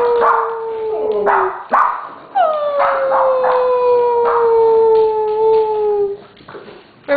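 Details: Three Siberian Huskies, among them Simba, coaxed to howl on cue. Long sustained tonal howls slide slowly downward, overlapping voices, broken by short rough yips and barks, with a brief sharp bark at the end.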